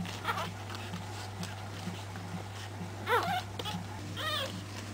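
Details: A litter of Pekingese puppies, three weeks old, with two clear high whines near the end, each a quick upward-then-down sweep, against a constant low hum and faint rustling.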